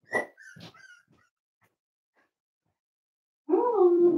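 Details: Five-week-old Cavalier King Charles Spaniel puppies indoors at Red Barn Cavaliers during a weight check: a few short squeaks and soft yips, a brief quiet pause, then a loud wavering whine.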